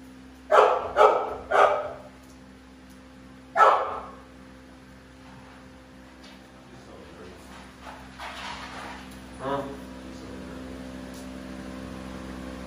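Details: American Bully pitbulls Navi and Nyla bark three times quickly, then once more, followed by quieter rustling and a faint voice as the barking stops.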